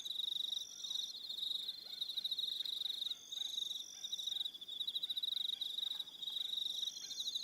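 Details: Crickets calling at evening on Aroha Island, New Zealand: a dense, shrill, rapidly pulsing trill runs almost continuously with brief dips, over higher ringing tones and scattered short clicking taps lower down.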